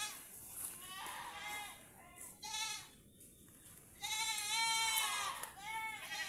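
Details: Pet goats on a farm in the Philippines, recorded where they are tethered, with overcast weather hinted as rain threatens; wavering harmonic bleats come in bursts, strongest around the fourth to fifth seconds, over a faint steady high hiss.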